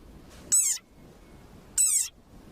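A desert rain frog lets out two high, squeaky squeals about a second apart, each slurring slightly downward. It is an angry frog's defensive war cry, sounding much like a rubber dog toy.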